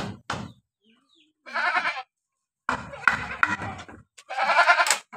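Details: Hoarse bleats from a sick Boer cross goat with a runny nose, mixed with knocking and handling noises and a burst of voice, ending in a long, strained call.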